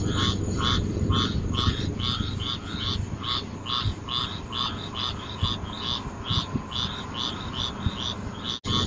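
Frogs calling in a steady chorus of short, raspy croaks over a low background rumble.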